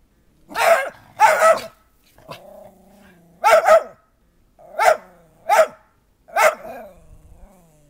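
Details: A Schipperke playing in a snowy backyard on January 7, 2010 gives sharp, rapid barks in quick pairs and singles, reportedly barking because another dog has a toboggan hat on.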